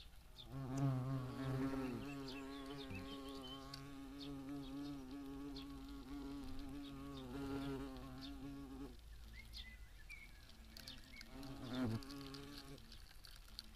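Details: European hornet buzzing in flight while raiding wasps at ripe fruit in a summer garden: a deep droning hum for about nine seconds, wavering slightly in pitch, then a quieter pause and a short returning buzz near the end.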